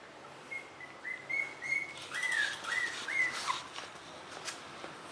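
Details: Puppies born 17 April 2015, lying in a dog bed, give a run of short, high squeaky whines, each sliding up and down, about eight in quick succession, with soft rustling of bedding.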